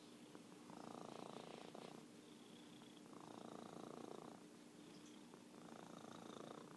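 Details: Champion purrer Merlin, an orange tabby, produces a steady throaty purr that rises and falls in long waves of about one and a half seconds, paced by brief quieter breaths, with a faint steady hum behind.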